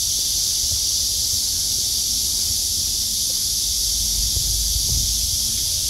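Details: Cicadas on a clear blue-sky midsummer August day after heavy downpours fill the air with a steady, high, hissing drone that never pauses.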